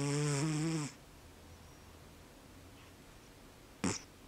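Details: Sleeping pet cat snoring, likened to an old man's snore; one low, buzzy, drawn-out snore lasting under a second, followed by quiet room hiss and a brief click.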